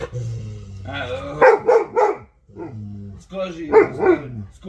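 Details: Vasya, an Alabai or Central Asian Shepherd Dog, mixes a low droning moan with clusters of three loud barks, pausing between, in a noisy room where voices and possibly music sound.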